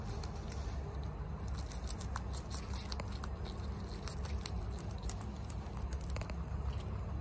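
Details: Chia, a female guinea pig, eats bok choy fast indoors, munching with rapid crisp crunches and snaps that crackle in quick uneven bursts over a steady low hum.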